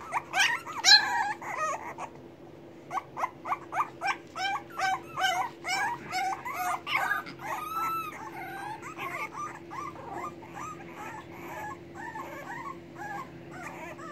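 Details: English Bulldog puppies waiting for their mother to come and feed them whine and squeal in a rapid, overlapping chorus.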